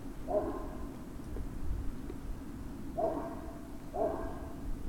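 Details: Three brief, tonal yelps from Great Dane puppies at Puppy Hill, evening of 19 February 2019, one near the start and two close together later, over a rumbling low-frequency background.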